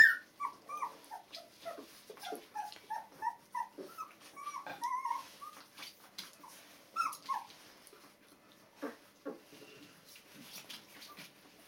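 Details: Two-week-old Border Collie puppies, born 15 February 2013, giving high squeaky whimpers and short squeals in quick, irregular bursts, several pups overlapping at first, then thinning out into scattered yelps among soft rustling and bumps.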